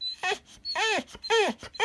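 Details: Alapaha Blue Blood Bulldog at home "trying to talk": three arched, moaning whines, each rising then falling in pitch with rich harmonics, about half a second apart, with brief soft noises between them.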